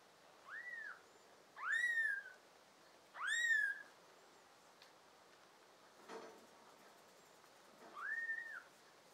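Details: Five tabby and American Shorthair kittens with blue eyes, indoors, June 2022: a young kitten gives thin, high, arched mews, five spaced over nine seconds, two of them louder, with a soft click in a quiet room.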